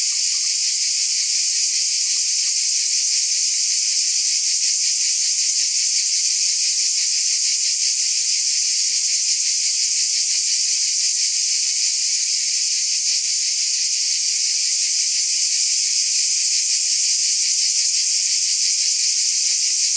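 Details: A long, unbroken cicada chorus: piercing, hissy buzzing with a subtle regular throb, level and constant from start to finish, nothing else audible.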